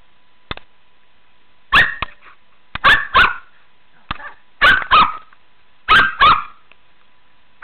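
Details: Shih Tzu named Megan barking while at play in a pool, short yappy barks mostly in doubled bursts, about five pairs over seven seconds, with faint clicks between.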